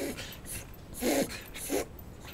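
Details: Shiba Inu named Kunta having a long bout of reverse-sneeze-like episodes, recurring about every five minutes from early evening until after 11 at night; rasping snorting inhalations in short repeated pulses over a hissy background.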